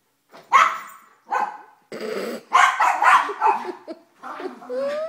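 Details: Three pet dogs indoors during a morning routine, an 11-year-old Mini Schnauzer, a 9-year-old female Basset and a 2-year-old Yorkie, playing rough before a treat run: loud sharp barks in bursts, with a person talking and a rising whine at the end.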